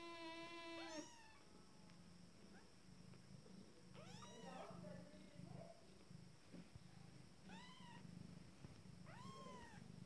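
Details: Fourteen-day-old Abyssinian kittens from a first litter, just starting to walk, giving high arching mews in separate bursts, with a low steady hum and soft rustling underneath.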